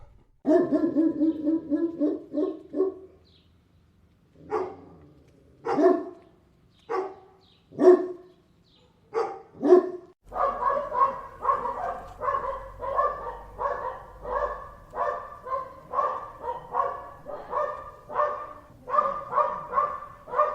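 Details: Dogs barking: deep, harmonic single barks spaced irregularly over the first ten seconds, then a steady run of quicker, higher-pitched barks repeated about twice a second to the end, with a faint low hum beneath.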